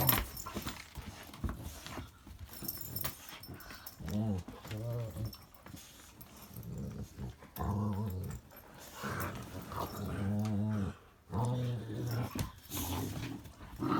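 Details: Indoors on a wet, icy day, Kyla and Knight, a little rescue pup and a big dog, play together. Low, wavering growls come in repeated bursts of about a second, with scuffling between them.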